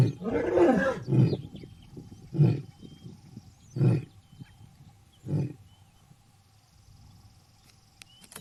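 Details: Roaring lion closing its call: one longer opening roar, then a run of short, deep grunts spaced about one to one and a half seconds apart, gradually weakening, with quiet background.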